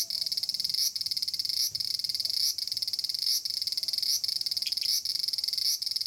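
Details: A large brown cicada, known in Japan as Aburazemi, sings from a persimmon tree. Its shrill, buzzing hiss throbs with quick dips about every three quarters of a second, and a faint squeak appears near the end.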